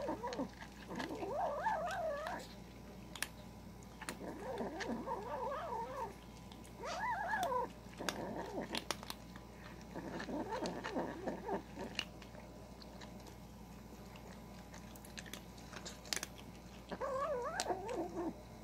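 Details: A kitten growls while eating, in wavering, moaning bursts that rise and fall, each lasting one to three seconds.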